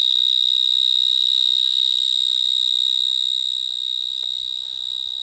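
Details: Vineyard mole cricket (Gryllotalpa vineae) singing from a small hole in the ground in a vineyard in Gironde, France, where many sing; a very loud, continuous high trill holding one steady pitch with a faint higher overtone, rapidly pulsed throughout.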